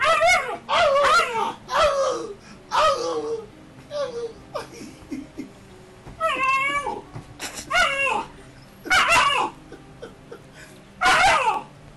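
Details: A 9–10-week-old Alaskan Malamute puppy in Calgary, Canada, in 2012, play-fighting with a German Shepherd it grew up with, gives high, yelping growls and squeaky yips in short bursts.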